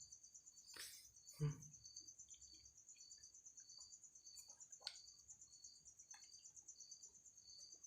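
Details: Insect shut in a bottle at home keeps up a high, stuttering ringing trill while loud low thumps and scraping clicks from handling the bottle cut in.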